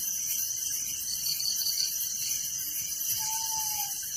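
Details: Crickets calling at night in a village make a dense, shrill, steady chorus that pulses quickly, with a single soft falling whistle near the end.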